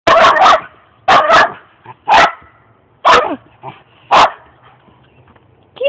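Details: Two male dogs in a dominance clash: loud, harsh barks in short bursts, roughly one per second, five bursts with brief quieter growly sounds between them.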